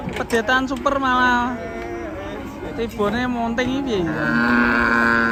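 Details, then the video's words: Raging cattle bellowing: long harmonic moos with rising and falling glides, several overlapping calls in quick succession, a steadier drawn-out tone toward the end, with human voices mixed in. "SAPI NGAMUK"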